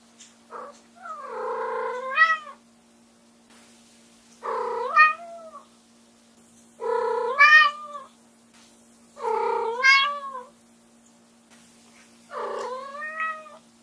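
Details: Ram, a white female Munchkin with short legs and upright ears, keeps meowing loudly to call her owner back into the room; five drawn-out, rising-then-falling cries spaced about two and a half seconds apart, steady faint hum behind.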